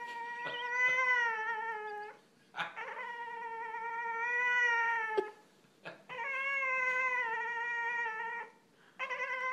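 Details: Attention-seeking whining from an 8-month-old Boston Terrier who is being ignored: loud, sustained, wavering whines lasting two to three seconds each, separated by brief pauses and soft clicks.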